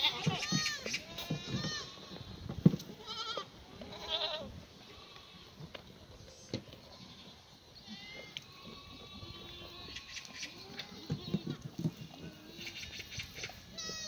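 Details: A herd of black goats at a pasture farm below Muchuksan in Gimhae, South Korea, on a clear morning after rain, in May 2019. Scattered shaky bleats from several animals come at mixed distances, some faint, over a low background rumble.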